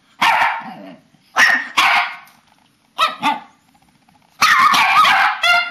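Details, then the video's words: Papillons and a shih-tzu in their bedtime ritual, March 2007, giving a few short bursts of barking and yipping separated by brief pauses, with one more sustained bark near the end. "Talking dogs!"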